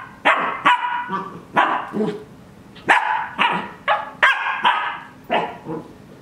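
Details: Twelve-week-old Cardigan Welsh Corgi at play in its dog bed, giving steady, bright yapping barks roughly every half second, each bark short and slightly rough, with brief softer growly notes between.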